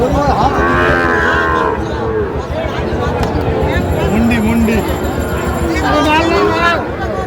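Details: Market crowd noise surrounds Sahiwal bull calves in Kushtia, with a lowing moo early on, shorter low calls midway and another moo near the end among voices.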